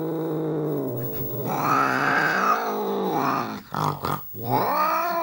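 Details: British Shorthair cat, described as angry, giving a throaty, rumbling growl that swells into a louder moaning yowl. The call dips briefly, then rises again to a drawn-out wail.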